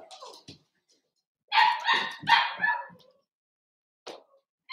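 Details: Cavalier King Charles Spaniel puppies of a Ruby and Blenheim litter born 06/09/2022, heard overnight 8/27. Light whines open the clip, then a pair of loud, harmonic yelping squeals sounds around two seconds, then a brief final yip.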